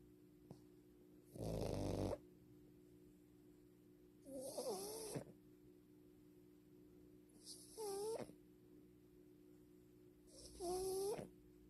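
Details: Sleeping French Bulldog snoring: four loud rasping breaths about every three seconds, the later ones carrying a whistling, wavering nasal tone over a steady low hum in the room.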